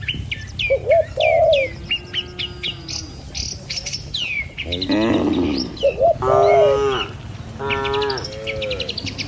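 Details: Village cattle herded along a road through rice fields and trees toward their pen. The first half is busy bird chirping and short rising calls, then several rough, strained moos follow in quick succession.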